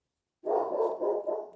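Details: German Shepherd kept as a pet, going a bit mad downstairs in a house; muffled, mid-pitched barking runs together in a steady burst of about a second with slight pulsing, heard indoors from another floor.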